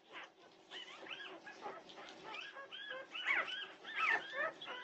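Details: At 2:30am on June 8, 2021, Norwegian Buhund puppies whimper softly. Thin, wavering cries overlap and grow louder toward the end.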